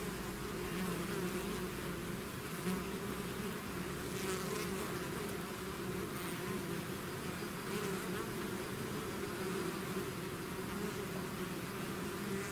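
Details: Bees swarming out of their hive produce an unbroken, dense buzzing drone with faint shifting tones and no other sounds.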